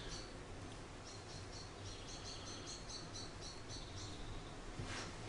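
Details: Charlie, an orphaned baby grey squirrel about a week old, found in a garden after falling from his nest and being hand-reared, gives a run of short, high, thin squeaks in quick succession over a steady low hum.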